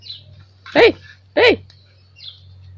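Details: Pomeranian puppy named Honey, cared for by a pet sitter, gives two short, sharp high-pitched yaps about half a second apart, with faint chirps before and after over a steady low electrical hum.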